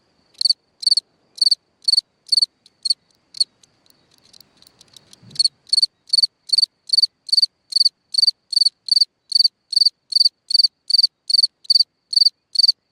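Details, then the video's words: Night-time cricket chirping at a hole in the ground: bright pulsed chirps repeated about two and a half per second, a brief falter with faint soft rustling midway, then the regular chirping carries on. "Watch and Listen a singing Cricket (Chirping sounds, Hole in the ground, Night Ambient Sounds)"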